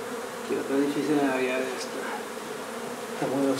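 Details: Buzzing honey bees during removal of a hive from an old house being renovated in Donna, Texas, with a low continuous hum overlaid by wavering tonal sounds, possibly voices, that come and go.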